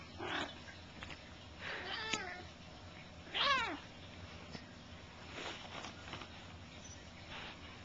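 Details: Bengal cats play, the big adult cat doing most of the noise-making as a kitten keeps going after it: a short, harmonic meow bending down in pitch, among soft scuffling.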